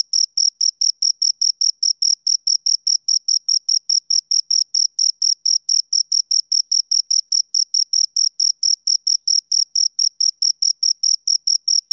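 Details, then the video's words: Continuous high-pitched chirping from two crickets, the pulses rapid, uniform and closely spaced throughout, with no background noise. "Two Crickets Chirp Sounds"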